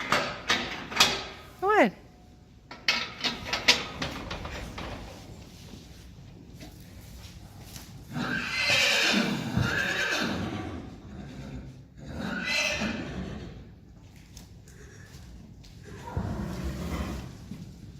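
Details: Friesian horses from a herd gathered for a Christmas party: a long, loud whinny midway, preceded by sharp short sounds, with people calling the horses, talking, hoof clatter and rustling throughout.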